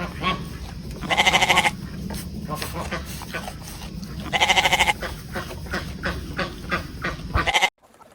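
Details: Goat bleating twice, each call a trembling, nasal half-second bleat, the pair about three seconds apart, with a shorter third bleat near the end; constant low rumble and scattered clicks fill the gaps before the sound cuts off.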